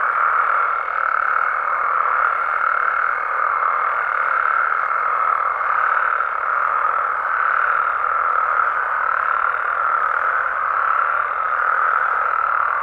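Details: Nighttime chorus of Mexican frogs and toads in their natural surroundings, an even wall of overlapping croaks holding one mid pitch throughout, with a thin steady whine above it and nothing else audible.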